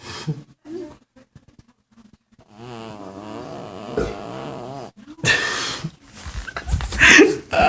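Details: A cat snoring indoors: short soft breaths, then a steady droning, rasping snore with rich layered tones held for about two seconds, followed by louder, rougher noisy bursts of breathing or movement close to the microphone.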